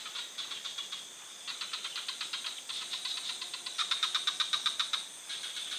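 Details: Frog in a forest giving rapid trains of short clicking pulses, about four per second, in bursts separated by brief pauses, over a steady high insect-like hiss.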